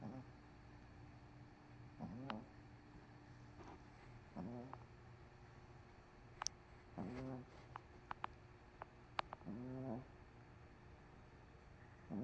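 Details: MoMo, a dog worn out after a rough day, asleep on a couch with CoCo nearby; soft, raspy snores with a low buzzing tone, roughly every two and a half seconds, uneven in strength, over quiet room hiss.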